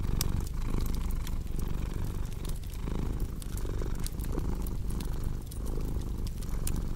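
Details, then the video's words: Cat purr rumbling low and even, breathing in and out in regular cycles, while a crackling fire adds scattered sharp clicks. "Purring Cat with Cozy Crackling Fireplace Sound"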